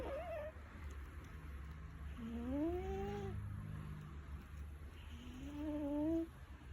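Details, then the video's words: Snoring house cat named Milo, whose breaths carry thin rising whistles, two clear ones a few seconds apart, above a constant low droning background. "old lady Milo is snoring like a old lady"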